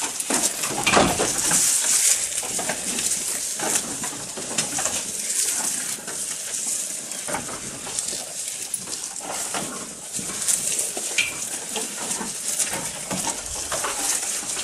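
A goat munching its food, with steady crunching and tearing noises close up.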